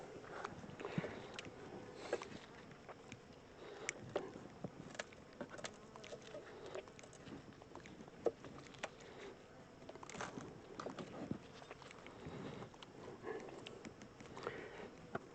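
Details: Honey bee swarm, the second one caught, being moved from a small temporary box into a larger regular hive where the bees are drawing comb. A steady low buzzing hum carries throughout, broken by frequent clicks and knocks of hive handling.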